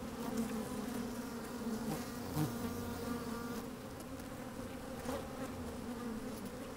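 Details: Inside an opened beehive on a sunny, slightly windy day, honey bees busy at work give a constant low droning buzz with stacked harmonic bands, broken by a brief louder scrape near the middle as bees shift around the microphone.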